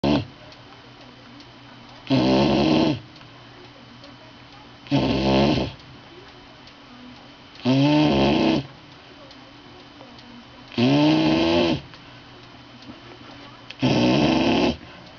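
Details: Sleeping bulldog snoring: five loud, broad rasping snores, each about a second long, repeating roughly every three seconds with quiet pauses between, over a faint steady hum.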